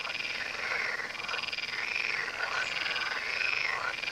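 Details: Chorus of frogs along the Tywa river: many overlapping harsh croaks and rattles merge into a steady, unbroken wall of sound with no other noises standing out.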